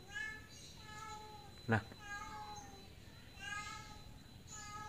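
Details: Domestic cat stuck up on a roof, unable to climb back down after climbing up; a series of about five drawn-out, tonal meows, each slightly falling, spaced roughly one second apart, while a man talks and calls to it nearby.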